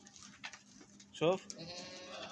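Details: Goat eating grass and dates gives one short, harsh, wavering bleat midway, while people talk nearby and faint rustling continues.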